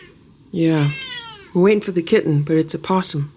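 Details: Fierce feral kitten from a family of feral cats: one clear, drawn-out meow with rich harmonics that rises slightly then falls, lasting about half a second, followed by a person talking in a small indoor room.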